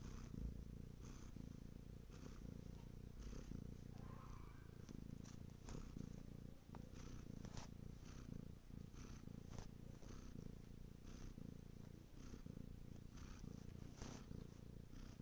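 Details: Bengal cat purring at length: a soft, throaty rumble pulsing with each inhale and exhale, broken by occasional faint clicks and rustles.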